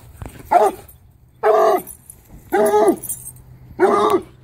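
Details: Bluetick Coonhound baying at a skunk, giving four loud harmonic bawls roughly one second apart, each lasting under half a second, with a rough, choppy tone.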